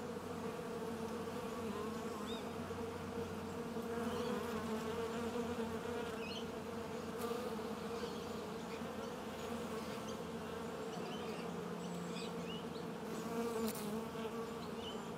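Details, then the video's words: A continuous swarm-like buzzing of bees hums evenly at a low pitch, rising and falling slightly in loudness, with a few brief sharp high sounds and faint chirps scattered over the drone. "Прекрасное жужжание пчёл"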